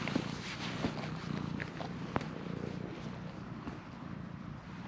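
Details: Stray cat at a shrine, purring while insistently demanding to be petted, filmed with a GoPro HERO8 Black; low, steady rumbling purr beneath background noise, with a few faint short higher sounds scattered through.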